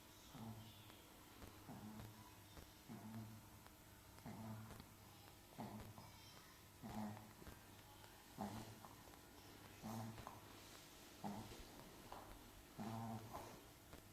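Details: Sleeping pet Chihuahua snoring in a small room, short breathy snorts repeating about every one and a half seconds, faint and rough, with light clicks and rustles between them.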